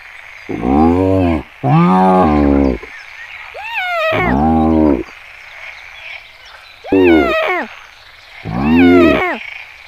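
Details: Wild hyenas at Kruger National Park, South Africa: low, harsh, rich-toned bursts lasting about a second each, alternating with thin high squealing notes that rise and fall, repeating several times.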